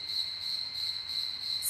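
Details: A cricket trills steadily outdoors on a rooftop terrace, a high, bright, unbroken ringing with a faint pulsing throb.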